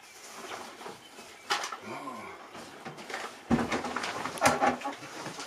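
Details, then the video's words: Siberian Husky named Nook at home, talking and telling off its owner: a short wavering howl-like moan with falling and rising pitch, followed by louder rough vocal bursts; a person speaks alongside in a small indoor room. "HUSKY at HOME ~ Nook TALKING, shouting, bieng SILLY"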